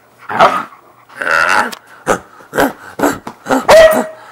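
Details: Siberian Husky winding down after zoomies on a bed, giving breathy growls and grumbles followed by short bursts and a thin, high whine at the end.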